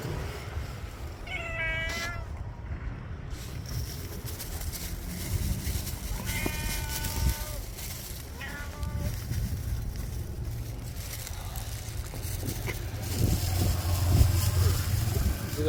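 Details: Street stray cat eating kibble and giving a few soft, short meows, spaced several seconds apart, against steady low traffic-like rumble and occasional human voices.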